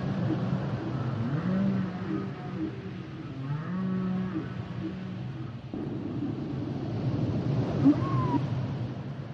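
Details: Humpback whale song with low droning moans and softer warbling tones, a brief high squeak near the end, set against heavy low underwater rumble.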